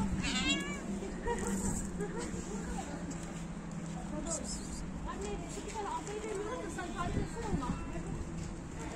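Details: Stray cat outdoors that likes licking a person's feet, giving a few short harmonic meows in the opening second and later faint mews, over steady human talk and urban background noise.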